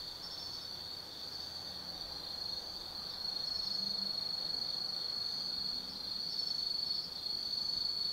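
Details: Autumn insects calling on a night at Tsukimi no Mori, Kaizu, Gifu, Japan, from a 180 m lookout: sustained shrill trill that grows louder after three seconds, with faint low traffic-like murmur.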